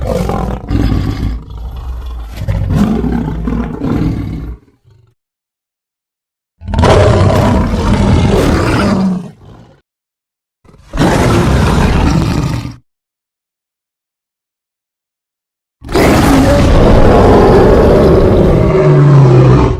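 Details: Lion roaring in four long, deep, rough bursts of several seconds each, separated by silent gaps, the last roar the loudest and harshest.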